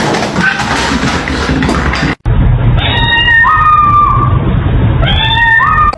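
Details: Domestic cat giving long, loud meows that slide upward and then hold a steady pitch, two in a row, after a muffled, noisy opening, over a steady low background hum.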